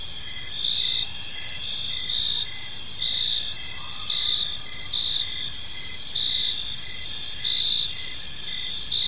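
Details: Evening park chorus of crickets, several high trilling layers running continuously while pulsed chirps recur in brief regular bursts; a faint low rising tone passes near the middle, with a quiet rumble underneath.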